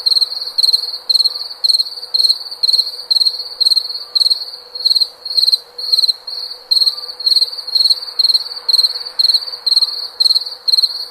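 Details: Long run of steady cricket chirping, bright and piercing, each burst a fast rattle of pulses, repeated about twice per second with little variation, faint hum below.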